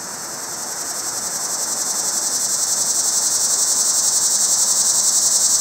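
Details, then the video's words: A cicada in a pear tree calls to attract a mate, its shrill droning buzz pulsing steadily several times a second and swelling gradually louder throughout. "Cicada Mating Calls"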